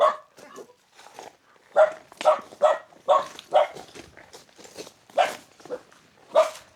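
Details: Village dog on a remote Hunan mountaintop in China barking at visitors: quick, uneven barks, some faint and some loud, repeating about twice a second, with no other sounds standing out.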